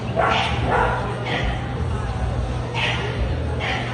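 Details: Barks from an American Bully at an ABKC show: a quick pair of loud yaps, a pause, then three more spaced barks, over a low hum and background voices in a busy indoor hall.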